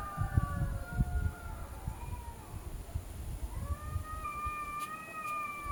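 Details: Cats arguing with each other; long wavering yowls that slide down, then a rising, drawn-out howl holding a steady high pitch, over a rumbling low background noise.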